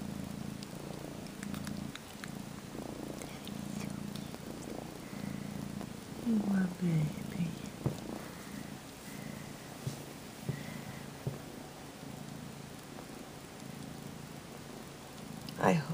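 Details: Kitten about 12 weeks old, sleepily sucking on a faux fur blanket and kneading with its paws in mock nursing, purring in a steady low rumble throughout, with a soft human voice talking briefly over it.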